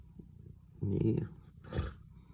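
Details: Pet cat being cuddled at home, purring in a continuous low, throbbing rumble, while a woman speaks German briefly over it twice.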